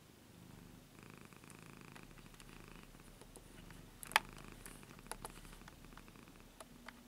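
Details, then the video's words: A 15-year-old pet cat purring indoors: a soft, low, steady rumbling purr pulsing continuously, with a few faint clicks and one sharp tap midway. "Purring 15 Years Old Cat"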